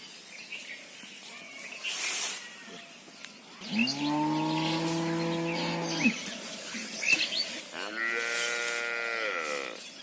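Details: Cow calling for her calf: one long, low, flat moo in the middle, followed by a higher-pitched, bending moo, with bird chirps and faint background noise.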